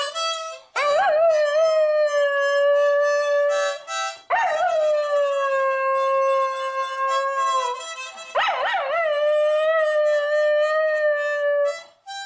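A Miniature Schnauzer howls in long, sustained notes, each opening with a wavering rise before settling steady.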